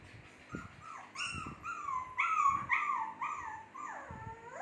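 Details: Shih Tzu puppies in their second month, making noise: a run of high, drawn-out whimpering whines, each sliding gently downward, overlapping from several pups, with faint low thumps beneath.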